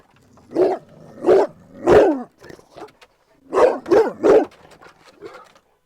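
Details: A four-year-old Cane Corso barks at a trainer out of unwarranted protectiveness of its owners, lunging toward a barrier fence. Seven loud, deep barks come in two bursts of three and four, with faint voices between them.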